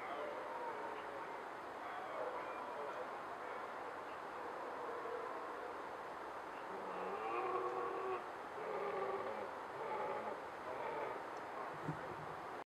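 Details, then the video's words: A red deer stag bellows during the October rut in mist at sunrise in Bushy Park, London, giving drawn-out, harsh, moaning bellows over a steady background rumble. "Red deer stag bellowing in mist at sunrise during rut, London"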